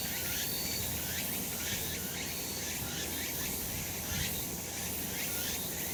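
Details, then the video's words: A summer mountain chorus of cicadas in the sun: thick, hissing high drone pulsing in uneven waves over a constant background hum. "セミの鳴き声 夏の山 日なた"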